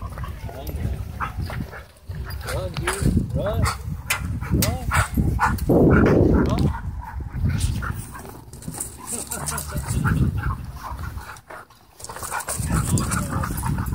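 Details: Dogs romping in wild play at a dog park: rising and falling yips and whiny cries with rough growling bursts, irregular and overlapping, with human voices talking in the background.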